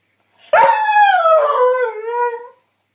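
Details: Northern Inuit dog howling: a single clear, tonal howl of about two seconds that starts high, holds, then slides gently lower and fades, with rich overtones and no other sounds.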